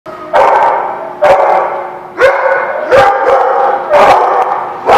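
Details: Dogs barking at a lot on 2/10/17: sharp, loud barks about once a second over a steady, harmonic, ringing background din.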